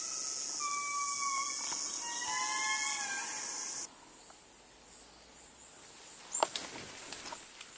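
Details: Madagascar indri chorus: drawn-out wailing tones with harmonics sound for nearly four seconds, then stop abruptly, leaving quiet forest hiss broken by a few sharp clicks and knocks.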